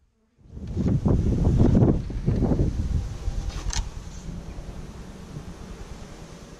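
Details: Honey bees from a backyard colony in week 5, started with 15000 bees in May 2017 and filmed on GoPro cameras; a close, rough low buzzing swells in pulsing bursts for two seconds, then fades into a softer steady drone.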